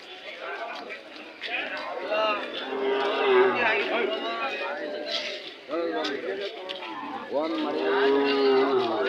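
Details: Hallikar cattle at the Monday KG Temple cattle fair market in Gubbi taluk, Tumkur district; drawn-out low moos rise near three and eight seconds over the steady bargaining talk of men and crowd chatter.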